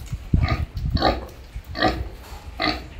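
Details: Wild boar sow nursing her ten striped piglets in the sun on a farm, piglets suckling eagerly; low soft grunts early, then three spaced nasal squealing calls about every 0.8 seconds, with background shuffling.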